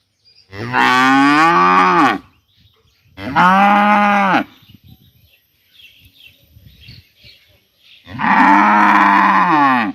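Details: Separated from its companion for vaccination, a village cow calls to another in the morning with three loud, hoarse moos, each lasting one to two seconds, with quiet gaps between them.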